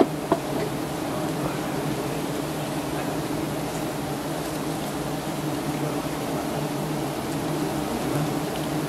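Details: Giant honey bees buzzing in a dense, steady drone while honey hunters in Thailand harvest their nest high up; a low hum holds throughout, with faint human voices and a single knock near the start.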